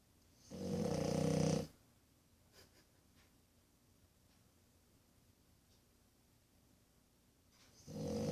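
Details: A 1-year-old French Bulldog puppy snores in loud, rasping bursts with long quiet pauses between breaths, asleep after a hard day of playing; French Bulldog.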